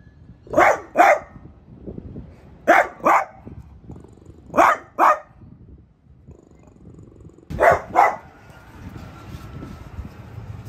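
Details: French Bulldog named Piper barking at a new artichoke plant at home, short sharp barks in doubled pairs, four pairs spaced about two seconds apart, with a faint whine afterward.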